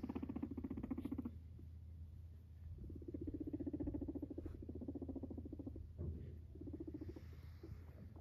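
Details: A male guinea pig, a sheltie named Max, purrs in low, rapid, stuttering bursts separated by brief pauses as he comes up to his owner; he also popcorns.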